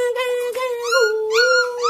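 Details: Golden Retriever, a young puppy shown being stubborn and demanding with its mother; sustained high whining howl with wavering pitch, rising and falling slightly, broken by brief pauses.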